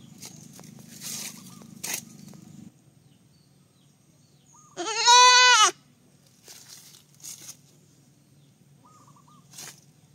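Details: A baby goat lets out one clear, trembling bleat midway, surrounded by faint clicks, rustles and low background noise.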